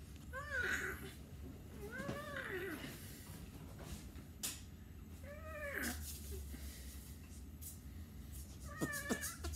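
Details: Short arched meows from a domestic cat come in a loose run of four or five calls, each rising and falling quickly, with low rumbling background noise indoors.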